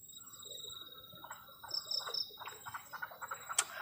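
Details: Crickets calling on a cold night beside a garden shelter at the forest edge; a steady high trill runs throughout, with brief, higher pulsed chirps and lower choppy croaking notes joining in the second half, plus a sharp click near the end.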